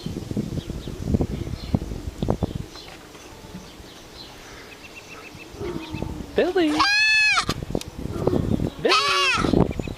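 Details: Silver Jubilee, nicknamed Trixie, a dainty doe goat recently brought to Meadowstar Farm from Greystone Homestead, lets out two loud, wavering, howl-like bleats about two seconds apart, after quieter rustling and faint voices.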